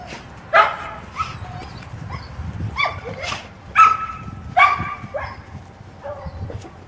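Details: Cane Corso named Drill, a rescue from Noah's Ark Animal Shelter Hungary, recorded on 15 October 2011, two months after spine surgery. High, short yelping barks and whines come in about six irregular bursts, some with a drawn-out tonal whine, over low background rumble.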